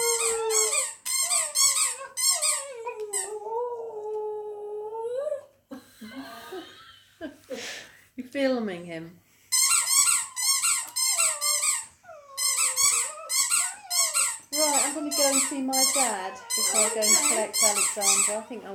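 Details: Border terrier singing along with his favourite squeaky toy indoors: rapid high squeaks repeated in bursts, mixed with wavering, rising and falling howls, with a break of woman's speech midway.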